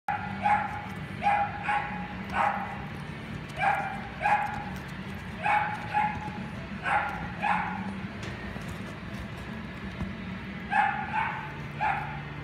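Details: Dogs in a pet shop yapping: short, high, bright barks mostly in quick pairs, repeated about every one to one and a half seconds over a steady low indoor hum.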